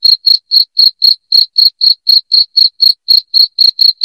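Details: Cricket, loud chirps meant to repel rats indoors; sharp high-pitched pulses repeat roughly four times per second in an even, mechanical rhythm against a silent background.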